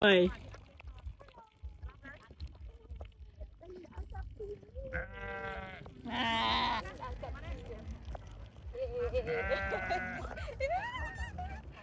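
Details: Sheep being chased, giving wavering harmonic bleats around five and ten seconds, mixed with human voices and low rumbling background noise throughout.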